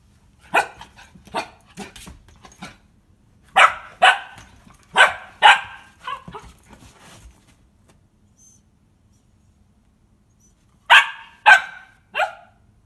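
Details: A German Pinscher puppy barks at a Christmas stocking where she smells a cookie, giving sharp, high barks in quick bursts with short pauses between.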